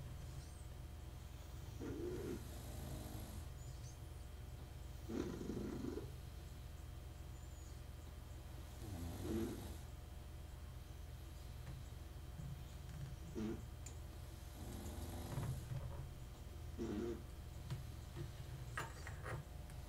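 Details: Dog snoring quietly indoors while a 1974 Seiko wristwatch is serviced nearby: soft, low rasping breaths recurring roughly every three seconds over a steady low hum, with occasional faint clicks from the workbench.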